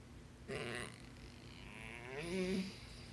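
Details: Very vocal basset hound 'talking' to its owner: a short breathy snort-like burst, then a groaning, wavering vocal that climbs and dips in pitch before trailing off, over a low steady indoor hum.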